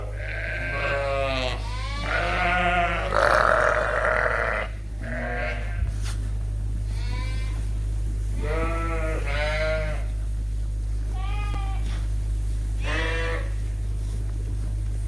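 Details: Suffolk sheep and lambs bleating in a barn around 8:00 at night at feeding time, groups mixed after an open gate; many overlapping wavering bleats, some quavering, others short, over a steady low machinery hum.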